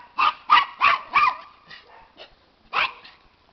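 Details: Max, a pet Miniature Pinscher, barks in excitement at being asked about a squirrel. Four quick, high barks come about a third of a second apart, then faint yips, a pause, and a final bark.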